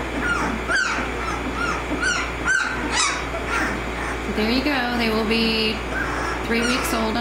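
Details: Eighteen-day-old American Mastiff puppies of the Kimi x Viho litter at Sycamore Creek Ranch give a few sharp squawks early, then drawn-out wavering whines and moans from more than one pup, over a low steady hum.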